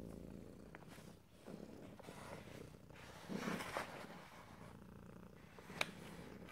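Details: Domestic cat purring in stereo, ear to ear, with no talking; a low rumbling purr pulses in rhythmic breaths, broken by a few brief clicks and rustles, with one sharp tick near the end.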